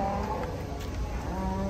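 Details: An old, very thin cow lows in a steady, drawn-out moo with even, level harmonics that holds for nearly two seconds, while people talk quietly nearby.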